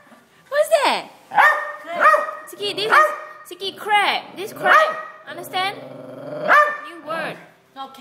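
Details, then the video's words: Silky Terrier barking at a crab on its first sight of one; repeated sharp barks, about eight in eight seconds, some rising and yelping, mixed with a person talking. "Silky Terrier barks at a crab"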